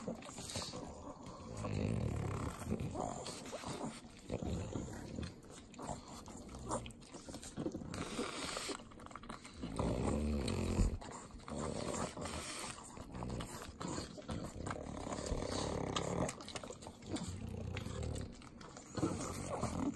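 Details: Butter-eating pugs, three dogs at home in the Inland Empire of Southern California: long run of sloppy slurping licks, wet smacks and pig-like snorts, loudest bursts around ten and twelve seconds.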